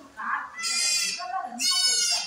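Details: Domestic goat doe that has just given birth to four kids, on a farm at Kadayanallur, Tenkasi District, India. Two loud, nasal, wavering bleats rich in high overtones, about a second apart, with a person's voice nearby.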